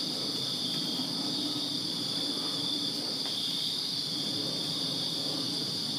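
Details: Crickets heard from a backyard in Virginia on a summer night: steady high, shimmering trills layered together, with a faint low hum of distant traffic beneath.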